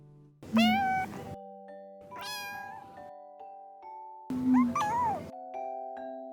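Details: Four-month-old male Scottish Fold kitten, just woken up and talking to its owner, gives three drawn-out meows with rising and bending pitch, each about a second long, over soft background music.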